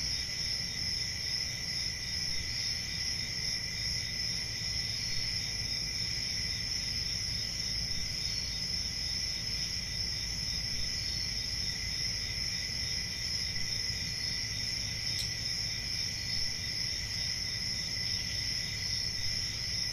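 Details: Crickets on a summer night in a forest, a dense, unbroken high-pitched trilling chorus with a second, lower steady shrill band beneath, over a soft low rumble of background noise; one faint click partway through.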